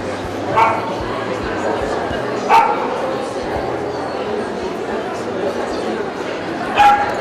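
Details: American Staffordshire Terrier at a 2015 dog meet-up in Kyiv, giving three sharp single barks spaced a few seconds apart over a steady hum of crowd chatter.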